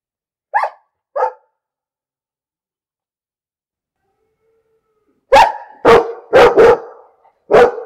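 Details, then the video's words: A dog gives two quieter barks, pauses, then breaks into a rapid run of loud, harsh barks, some overlapping in quick succession. "Bellender Hund - Hunde bellen"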